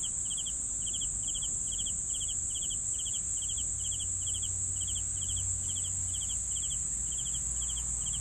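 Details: Steady rhythm of cricket chirps, each a crisp cluster of pulses repeated roughly twice a second, layered over an unbroken high insect trill with little background noise.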